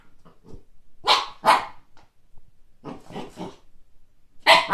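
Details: Young Siberian Husky Kake reacts to a first-ever frisbee with two loud, bright barks, a cluster of softer rough yaps, and one more strong bark at the end.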